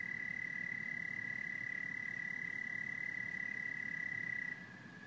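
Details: A chorus of frogs and toads in a continuous, even trilling drone at one high pitch, dropping away just before the end and leaving only a faint low background hum.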